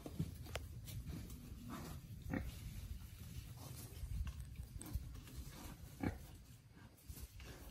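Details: Small wild boar, freed into the wild, foraging: brief low grunts scattered through the recording, with a stronger one near the end, amid crackling leaves and sharp clicking sounds of rooting.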